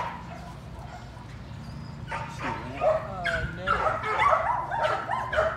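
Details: Patterdale Terrier puppies, a litter with a slightly younger black female, working rats in the evening inside a puppy pen; high, wavering yips and whimpers in quick irregular bursts, with a person talking in the background.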